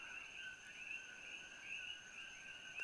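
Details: Introduced coqui frogs from Costa Rica call together in a steady, high-pitched evening chorus at Holualoa overlooking Kona, Hawaii, with fewer frogs here than at Hilo.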